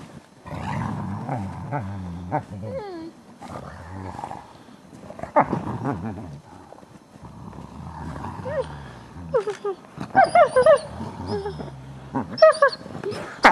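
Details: Captive ambassador gray wolves at the International Wolf Center, excited by fresh snow on 24 December 2008, producing a mix of low growly vocalisations, wavering whines and short rising yips and howls from several animals, some voices overlapping.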